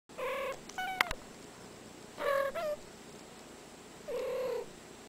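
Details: Domestic cat giving three short, clear tonal meows, each under a second and spaced about two seconds apart, the middle one followed by a brief higher chirp; a faint steady background hum and a sharp click near the start.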